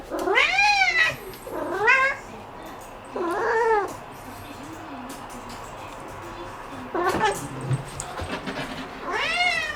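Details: House cat making loud, insistent meows after spotting a bug; short rising-falling calls in quick succession, then a pause with faint background noise, followed by more meows, some with a strained, wailing edge.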